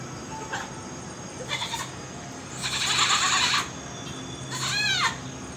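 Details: A pygmy goat at Sunway Lagoon gives a series of bleats, short ones first and then a long quavering cry; the final bleat wobbles rapidly in pitch, giving it a shaky, nasal sound.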